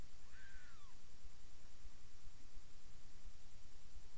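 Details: Brief mew from one of Miss Kitty's seven newborn kittens, nearly three days old, during nursing in their new box. A single clear call bends upward then drops, lasting half a second, then only quiet room hiss remains.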